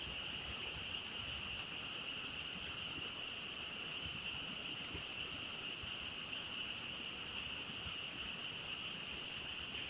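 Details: At a nighttime camp next to a crackling campfire, a massed frog chorus forms a constant high ringing drone, overlaid by scattered soft ticks and snaps from the fire.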